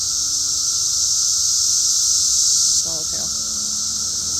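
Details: Steady, shrill cicada drone, a continuous high electric hiss without pauses, easing slightly in loudness partway through, with a short snatch of a human voice toward the end.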